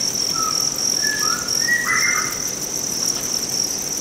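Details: Farmed Thai crickets with wings, brought by a customer from Hòa Bình, Vietnam, to sell to a cricket farm: a steady, high, unbroken shrill band of chirping, with a few brief higher squeaky whistles early on.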